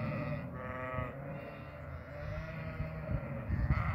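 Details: Farmed goats bleating: a wavering, harmonic-rich bleat around the half-second mark, with further softer, overlapping bleats later, over a steady low rumble of farm background noise.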